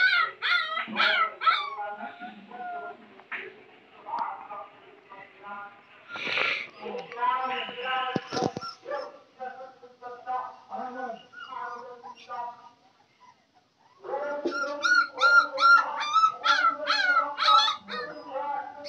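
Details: Village puppies whining and yipping, a steady stream of high, wavering whimpers with a few louder clattering knocks midway, a brief quiet gap, then a renewed burst of rapid yelps.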